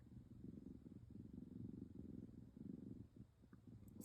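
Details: Purring from Pebbles, the tabby kitten known as Chubbs the cat's always-purring mini-me, while she is being cuddled. A loud, low, throbbing purr comes in steady waves for about three seconds, then eases.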